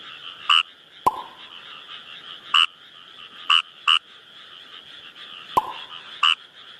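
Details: Kawamura's rice frog in the wild giving brief, rasping croaks singly and in a quick pair, spaced one to three seconds apart, with two sharp clicks and a constant high-pitched chorus behind.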